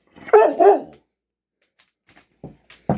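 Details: Pet dog barking back at its owner indoors while being talked to: two quick, loud, husky barks in a row, followed by quiet and brief bits of a man's speech.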